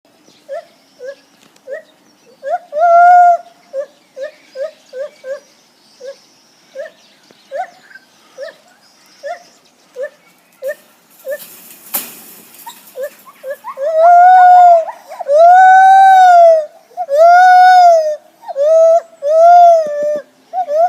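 Lar gibbon giving a run of clear, hooting notes that swell into louder, drawn-out rising and falling whoops.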